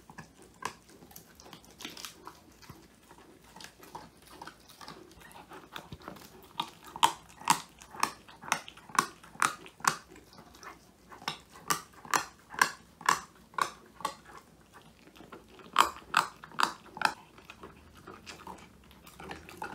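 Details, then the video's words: Woody, a male Old English Sheepdog born January 2019, crunching a whole quail as his first treat, filmed indoors on a phone; sharp crunchy bites repeat rapidly, about two per second, growing louder and more regular midway. "통 메추리 오독오독 수제간식 먹방"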